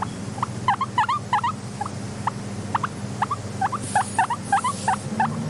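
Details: Content pet guinea pig wheeking: a steady stream of short squeaky upslurred notes, some in close pairs, roughly three a second, against faint low-pitched ambience.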